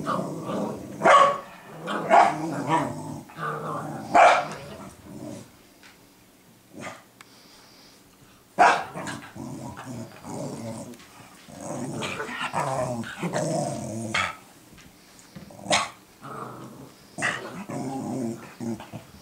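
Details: Two pet dogs, Cooper and Sophie, barking at each other on 12 June 2014 as Sophie teaches Cooper to be a guard dog; sharp barks in bursts near 1, 2 and 4 seconds, then scattered barks and growly yaps with quiet gaps.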